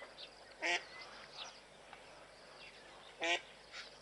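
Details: Stampeding blue wildebeest fleeing a male lion; two sharp nasal honks about 2.5 seconds apart, with faint distant calls and low hiss between.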